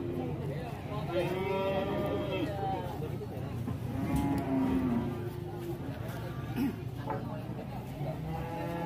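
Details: Runaway angry cow being caught and led by rope after bursting into a shop. Moaning moos break out at intervals over steady low rumble, mixed with people talking and background music.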